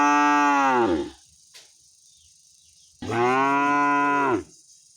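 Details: Angry cow calling for its owner with two long, deep, steady moos about two seconds apart, each ending with a slight downward fall, and near-silence in between.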